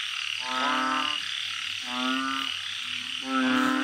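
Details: At night in a Thai backyard garden, a banded bullfrog gives three long, even, nasal croaks spaced about a second apart, over a low steady background drone.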